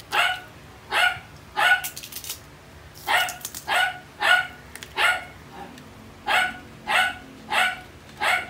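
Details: Shih Tzu at breakfast, barking while being offered scrambled egg, dried fish and eggplant; short sharp barks repeated steadily about every half second to second, with a brief human voice near the end.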